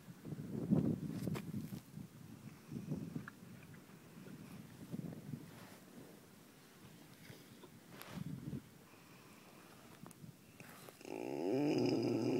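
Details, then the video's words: Horse snoring while wanting a scratch: low, breathy rumbling snores in slow, uneven pulses about every one to two seconds, then a louder steady hiss and hum near the end. "Snoring horse part 4, 'Gimme a scratch please?'"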